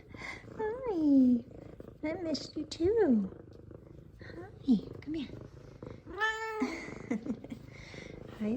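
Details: Two F2 Savannah cats greet their owner, happy to see them: a female meows repeatedly in rising-falling, drawn-out cries about every two seconds over a soft, steady purr, while a woman talks warmly to them throughout.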